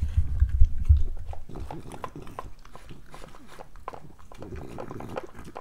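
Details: Pregnant French Bulldog at her breakfast indoors: a few heavy low thumps at the start, then quick, uneven chewing clicks and soft smacking that continue to the end.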